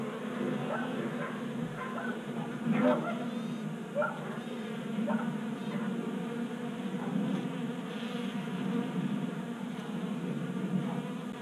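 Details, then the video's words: Honey bees drawn into a Colorado garage in January, feeding at a 3D printed tabletop feeder; continuous buzzing drone with brief rising and falling whines from individual bees flying close by. "45 Minutes of Honey Bees Feasting from 3D Printed Bee Feeder ASMR"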